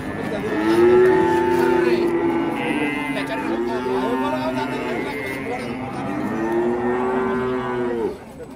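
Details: Cattle in Indonesia lowing in a series of long, drawn-out moos, several overlapping, each steady and slightly falling at the end, with music and hand-clapping in the background.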